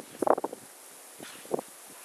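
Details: Brief husky chatter from Mishka outside in polar vortex cold: a quick clustered yowl at the start, then a quieter short burst after a pause, over a hiss of wind.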